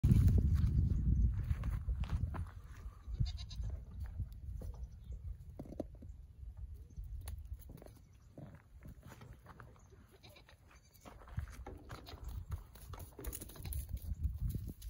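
Nigerian Dwarf goat kids give short, wavering bleats over a low background rumble.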